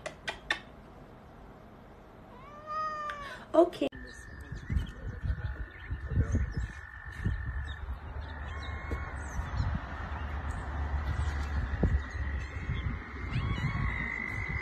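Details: Domestic cat giving two or three short arched meows that rise and fall in pitch, followed by a steady high electronic whine, clattering and handling noise and low rumbling.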